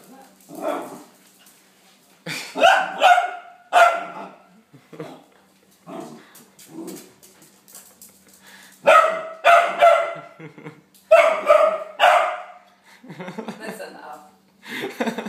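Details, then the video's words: Charley the dog, frightened of a sweeper seen for the first time, lets out repeated loud rough barks in clustered bursts with quieter yelps and whines between them, indoors. "Dog is scared of sweeper"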